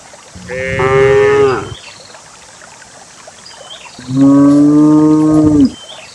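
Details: Dozens of cows led downhill into a fertile green valley; two drawn-out moos, the first wavering and falling at the end, the second lower and steady for nearly two seconds, with distant bird chirps.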